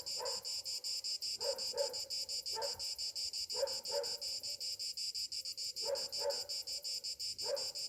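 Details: Cicadas on a summer morning: a steady, shrill high buzz pulsing several times a second throughout, with lower-pitched bursts of calls repeating every second or so in the background.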